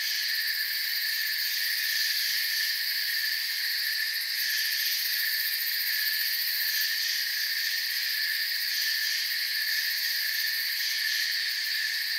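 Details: Steady cricket chorus from a forest: a high, buzzy, unbroken shimmer of several overlapping tones at an even level, without other animals or noises.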